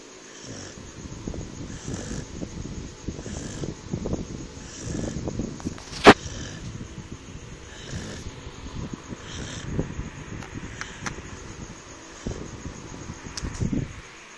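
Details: A sleeping Chow Chow snores in low, rumbling breaths in an uneven rhythm, recorded at 10:52 PM on October 1, 2016.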